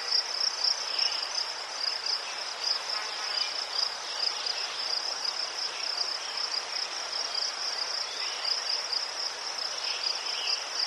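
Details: Crickets in Ukraine beside chrysanthemums give a steady, rapidly pulsed high trill, joined by occasional short, softer chirps lower down.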